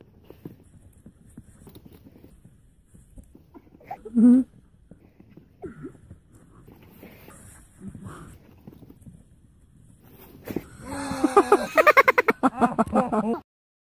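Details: Siberian husky vocalizing indoors: about ten seconds of quiet rustling and a brief squeak, then a loud burst of wavering, harmonic yowling howls in quick pulses that rise and fall over the final three seconds.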